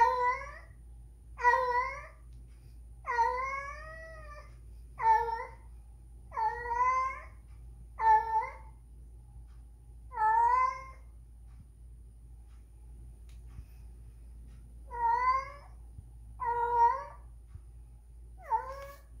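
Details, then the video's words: Spayed female cat named Whisky, in heat and looking for a mate, gives a run of drawn-out wavering yowls, rich in overtones, in quick bursts with a short quiet gap midway before the cries resume; faint low hum beneath. "Cat Mating. Even if Spayed it Happened!"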